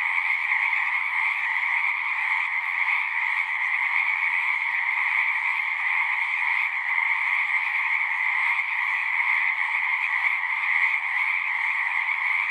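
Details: Frogs in full chorus at a pasture pond, recorded with a Zoom device; overlapping trills merge into a constant shimmering drone in two pitch layers, with no pauses and no other sounds standing out.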